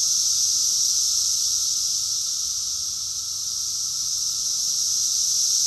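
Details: A summer cicada chorus recorded in June 2021 at Rockville, Maryland, USA. The shrill, seamless insect drone starts loud, sags a little in the middle and then climbs back to full strength.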